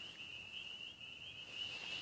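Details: A dense night chorus of about 1,000 spring peepers in a field near a pool in spring, countless high peeps blending into one steady shrill ring.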